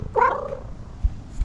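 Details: Pet cat, excited and happy in the morning, uttering one brief rising-falling meow, then quiet with a couple of soft thumps.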